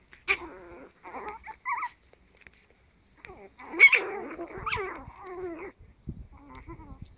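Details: Ten-week-old Chihuahua puppies playing together, giving short high yips and squeaky barks in scattered bursts. A longer harmonic whine runs near the middle, and low growly sounds come between the yips.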